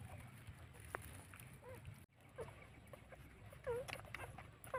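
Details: Newborn puppies, two days old, nursing from their mother: brief high, curving squeaks and little whimpers come every second or so between soft suckling clicks, with a faint low hum behind.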